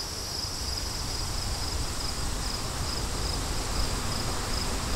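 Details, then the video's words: High cricket chirps in short regular pulses, several per second, running steadily beneath a low, even rush of wind, meant as calm background for studying. "Crickets & Wind"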